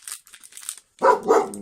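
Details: Pet dog indoors in a small room, sharing the space with a cat it does not get along with; crinkling of card packaging first, then two loud, harsh barks in quick succession.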